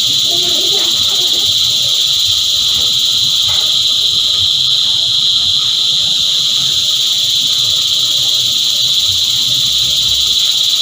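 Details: Cicada choir: a dense, unbroken high-pitched buzzing drone holding at a steady level the whole time, with no pauses or rhythm changes, and a few faint low knocks underneath.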